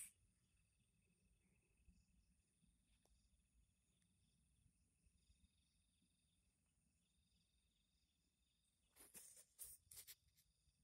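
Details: At night, while someone searches for crickets, a cricket gives a faint, high, continuous trill over a low background hum; near the end a few sharp rustling bursts break in, like something being handled close by.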